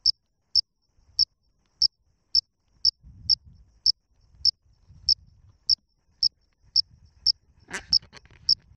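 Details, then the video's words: A cricket calling from under tree bark gives short, high, shrill chirps at a steady pace, about two each second. "Cricket calling from under bark"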